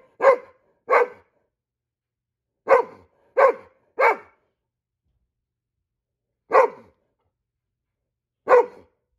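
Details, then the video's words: A Goldendoodle sounds off at squirrels with sharp guard-dog barks, a pair, then three quick ones, then two widely spaced single barks, with silence between and no other sounds. "Goldendoodle barking like a guard dog ... when he sees squirrels"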